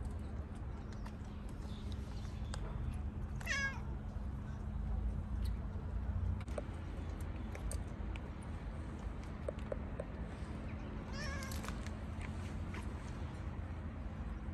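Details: Gray stray cat outdoors on a car, wanting petting and attention: two short meows, one near the fourth second and another near the eleventh, over steady low traffic-like rumble and hum.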